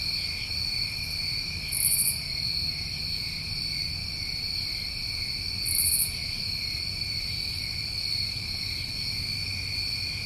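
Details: Steady high-pitched trilling of New England summertime crickets, an unbroken drone of several insects, punctuated twice by short very high buzzy bursts about four seconds apart over soft low rumble.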